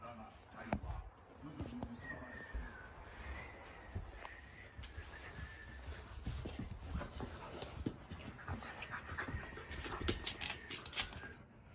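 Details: Red three-year-old female Akita-inu, scolded by her four-year-old brindle sister for getting overexcited and then comforted with a rabbit toy, gives soft, thin, drawn-out high whimpers amid rustling and handling noise.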